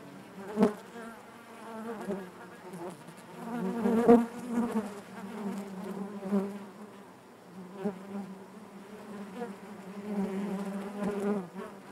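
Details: Inside a beehive, honey bees keep up a thick droning buzz that rises and falls in intensity, with brief louder surges where individual bees fly close, then settling back into the steady hum.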